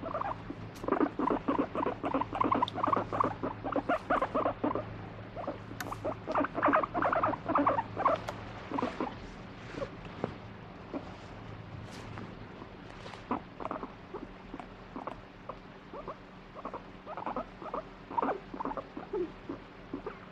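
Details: Pet guinea pig switching between demanding strokes and rejecting touch, grumbling in fast pulsed bursts, rough throbbing clusters repeating about three times a second, louder runs early then shorter spaced pulses later.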